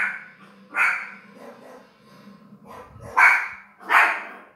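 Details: Fox the Yorkshire Terrier, indoors and watching footage of another dog, lets out four shrill, rasping barks spaced irregularly across a few seconds, with quiet screen sound underneath.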